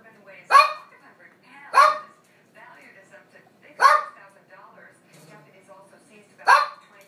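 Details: Shadow, a pet dog, barks four times: sharp, loud single barks spaced about one to two and a half seconds apart. Softer murmuring fills the gaps between them.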